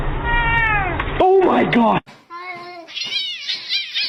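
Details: Kitten meowing in a compilation clip: several rising and falling harmonic meows in quick succession, sharp cuts between segments and a brief loud overlapping sound in the middle.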